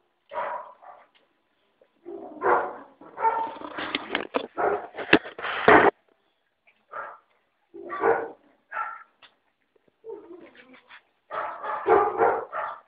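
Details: Puppies five weeks old squealing and yipping in uneven bursts, a dense run of overlapping high cries in the middle, then scattered whiny yelps resuming after short silences.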